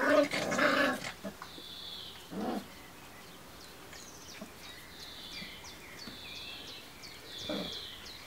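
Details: Kuvasz puppies at 32 days old from the Crystal Diamonds kennel litter, 15 July 2014. A loud, rough growling bark burst opens, followed by a few softer yaps. Birds chirp steadily in the background.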